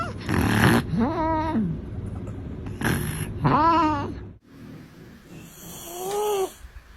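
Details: Pet cat snoring: rasping, breathy draws with a whistling, wavering tone on top, repeated in three rounds roughly every three seconds, the last breath softer and smoother.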